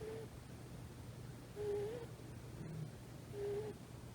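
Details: Komochi, a rescued female tuxedo kitten of about three months, sleeps using a person's thigh as a body pillow; quiet whistling snores with a slight upward bend, one on each breath about every two seconds, over a low steady indoor hum.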